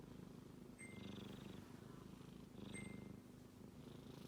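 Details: Deep rhythmic rumbling of a male kitten snoring while asleep, with each breath cycle lasting about one and a half seconds, and two quick high pings in the background.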